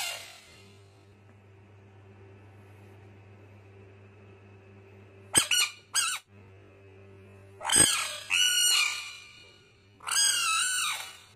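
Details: Fighting frog screaming: after a quiet stretch with a low electrical hum, sharp clicks lead into three loud, drawn-out raspy shrieks that bend downward, each lasting about a second.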